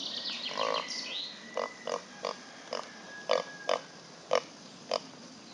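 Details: Reza, a pot-bellied pig walking outdoors on a hot summer day, gives a steady series of short, clipped grunts about every half second. High bird whistles are heard early on, over a soft outdoor background.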